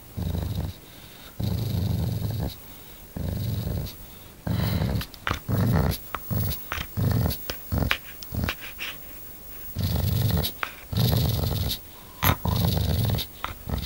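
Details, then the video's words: Tiger, a dog described as vicious, gives repeated low rumbling growls in bursts of about one second, some longer and some clipped short, inside a small room with occasional knocks and thumps. "TIGER THE VICIOUS DOG"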